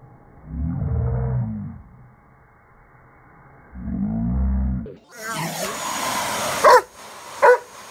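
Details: Rhodesian Ridgeback that dislikes the vacuum cleaner gives two low, rumbling growls, then a loud broadband roar of machine noise takes over with sharp clatters near the end.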